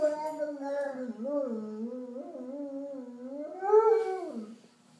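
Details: Alaskan Malamute Tovik sings along with an ambulance in a low, wavering howl. The voice undulates up and down, then rises to a louder peak near the end before dropping away into silence.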